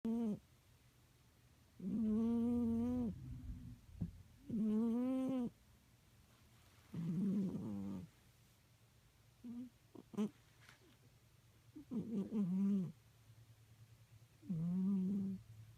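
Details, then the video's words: Peeko, a pet cat, snoring while asleep: drawn-out, tonal, slightly nasal breaths about a second long, repeating roughly every two to three seconds over a soft low rumble, in a quiet indoor room. "Cat snore"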